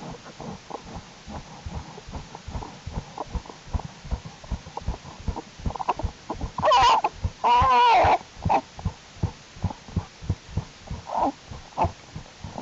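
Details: American black bear cubs in Jewel's winter den on January 31, 2012, during unusually warm temperatures, growing stronger and crawling around more. Fast rhythmic pulsing runs throughout, broken midway by two loud, harmonic, wavering squalls.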